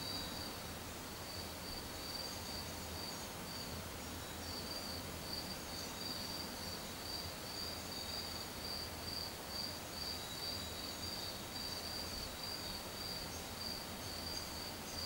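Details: Cricket grooming itself, with a steady, high, thin trill that pulses without pause through the whole stretch over a soft, low background rumble.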